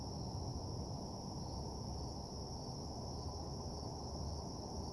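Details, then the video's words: Crickets trill steadily and high-pitched at night in a desolate, empty parking lot, over a low, constant rumble of background hum. "Nighttime Parking Lot Ambience (Cricket Sounds)"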